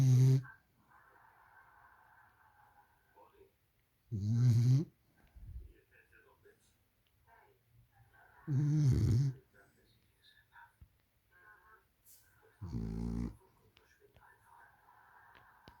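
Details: French Bulldog snoring in long, rasping, throaty bursts about every four seconds, each snore under a second, with a faint steady electronic whine filling the pauses indoors.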